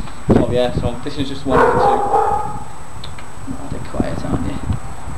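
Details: A small black-and-tan male Yorkshire Terrier, abandoned and now held at RSPCA kennels near Liverpool, gives short, high yips and a longer whining bark while a person talks.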